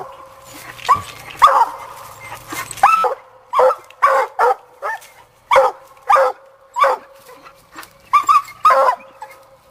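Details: Young female Black and Tan Coonhound named Sadie barking while coon hunting, having treed her raccoon; loud, harmonic barks with brief whining tones, about a dozen irregular bursts over ten seconds, quiet between.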